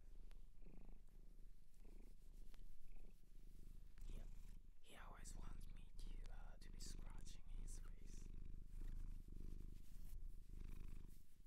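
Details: Shelter-adopted domestic cat in Japan, recorded indoors up close for ASMR: a low, steady purring rumble runs throughout, with soft human whispering layered over the middle section.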